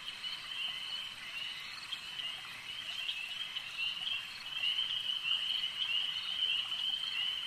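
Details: Brief stretch of lakeside frog chorus, a high continuous trill of many overlapping callers that swells louder in the second half.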